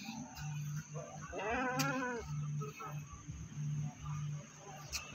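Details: Goat brought to the Pakis animal market in Malang gives one short, arching, quavering bleat around the middle, with a pulsing low musical hum and faint chatter behind it.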